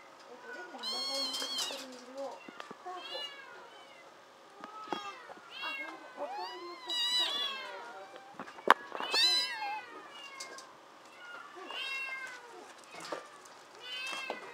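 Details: Crowd of rescued kittens at a shelter cat café in Otsuka, Tokyo, Japan, energetic and climbing; many loud, high, arching meows in quick overlapping bursts, some short and squeaky, others drawn out, with a few sharp knocks.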